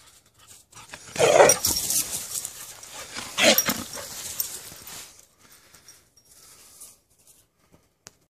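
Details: Keke the poodle having fun: two loud bursts of breathy, huffing panting and snuffling, about two seconds apart, with softer breaths in between. The sounds fade to near silence after five seconds.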